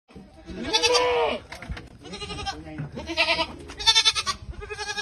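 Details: Boer goat on a farm giving a loud wavering bleat, with Thai speech in between and around the call.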